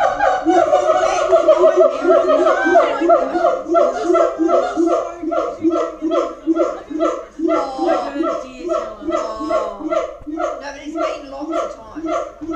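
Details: Crazy booming siamangs at Auckland Zoo in full chorus, a continuous stream of loud, overlapping barking notes pulsing rhythmically, roughly three per second, for the whole stretch.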